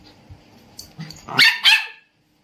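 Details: Indian Spitz dog, a household pet, letting out two quick, piercing high barks in succession after faint background shuffling, followed by silence.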